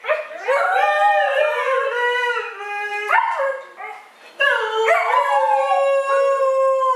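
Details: Two dogs arguing with each other in a run of wavering, yodel-like howls that rise and fall, overlapping and pausing briefly near the middle before starting up again loudly.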